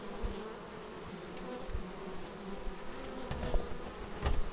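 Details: Bees flying in to land at a beehive, filmed close with an action camera; a continuous low droning hum with brief louder buzzes as individual bees pass near, over a soft background hiss.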